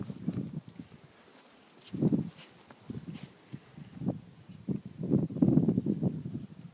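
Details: Whippet puppies Betti and Jack, three months old, at play with four-month-old Ashley: low gruff growls and grunts in uneven bursts, growing denser and louder toward the end, with scuffling between them.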